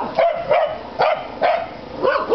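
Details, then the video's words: Corgis barking at a grey and white cat standing behind the fence boards: about six sharp barks in quick succession, roughly every half second. "Corgis Barking at a Cat"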